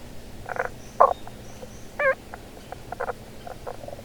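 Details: A Tago's brown frog hidden beneath stones calls from underground to reach females, giving brief, gruff croaks, some doubled or pulsed, spaced irregularly about a second apart, over a low rumble and faint hiss.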